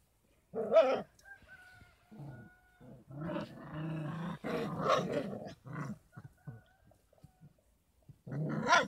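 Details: Thirty-three-day-old Kangal puppies on a Kangal breeding farm, fed extra formula and goat milk; loud, harsh squealing yelps and grumbling cries in irregular bursts, some drawn out for over a second, with brief pauses between.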